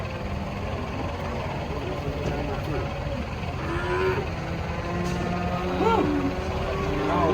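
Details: Thin cattle being unloaded from a truck, one too weak to stand; low harmonic moos rise and fall under steady engine rumble and people talking nearby.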